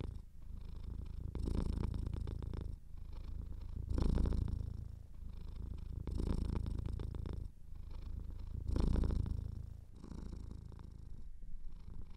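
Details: Close recording of a purring cat with a somewhat blocked nose: continuous low vibrating rumble rising in louder bursts about every two and a half seconds as it breathes in and out, quiet indoor setting.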